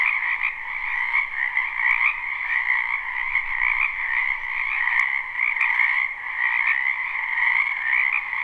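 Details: Dense chorus of many frogs croaking in a spring wetland behind a house, recorded live without looping; steady overlapping trills with a bright band and a lower band, continuous throughout with no pauses.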